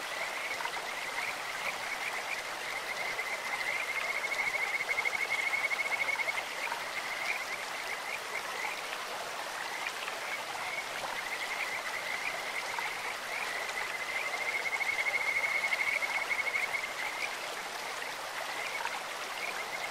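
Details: High, sweet pulsed trills from Kajika frogs in a clear stream, coming in long phrases that swell near five and fifteen seconds and then ease, with a continuous rush of running water beneath.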